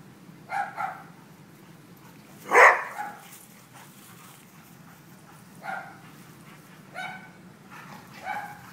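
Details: Leroy and Oscar at play: one strong bark in the middle amid several softer whimpering yips scattered before and after, with steady low background noise.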